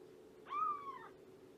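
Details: A single clear, bright meow from Shelby, a female cat estimated at two years old and mother of a three-month-old litter, rescued via Everett Animal Shelter to Purrfect Pals; rising then gently falling, over a low indoor hum.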